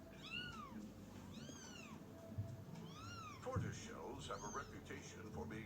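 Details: Eight-day-old tortoiseshell kitten meowing: four thin, high arched cries rising then falling in pitch, each about half a second long, spaced a second or so apart, with a woman narrating over steady background hiss.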